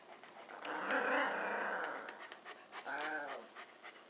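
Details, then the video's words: A puppy gives small, high barks, two sharp yaps close together followed by a longer, tonal whine-like bark, with an older Labradoodle nearby trying to nap; quiet indoor background. "Small bark but mighty in spirit!"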